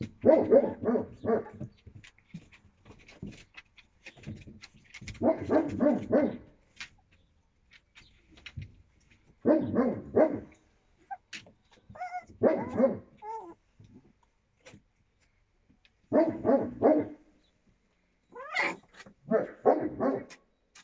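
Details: A litter of Yakutian Laika puppies, 25 days old, April 2023: clustered rough, growly yaps come in bursts every few seconds, separated by soft rustles and occasional high whining squeaks.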